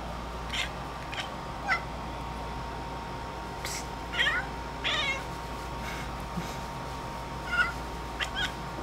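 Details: Indoor house cat eyeing a bug on the ceiling, giving scattered brief chirping chatter bursts, some with quick upward-curving harmonics, separated by pauses over a faint room hum.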